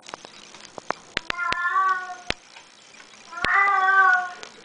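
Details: Teddy, a pet cat called a talking cat, gives two drawn-out harmonic meows about two seconds apart indoors, with sharp clicks and taps between them.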